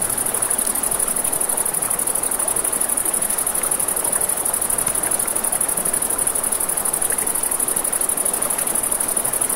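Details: Riverside crickets at night produce an even, piercing, fast-pulsing trill from start to finish, accompanied by soft campfire crackling and the continuous rush of flowing water.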